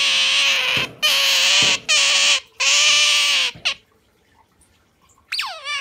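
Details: Asian small-clawed otter held close, clinging to its owner's arm; four loud, piercing harmonic squeals in quick succession, then a quiet pause and one short rising squeak at the end.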